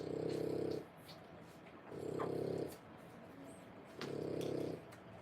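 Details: Three-week-old French Bulldog puppies, born 1/10/25, near mother Boots; three steady, grumbling snore-like breaths, evenly spaced about two seconds apart, deep and buzzy against a quiet indoor background.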